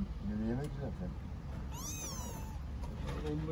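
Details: Street kitten in Istanbul calling its mother cat gives one drawn-out, high meow that bends downward, after a man's Turkish voice, with traffic noise throughout.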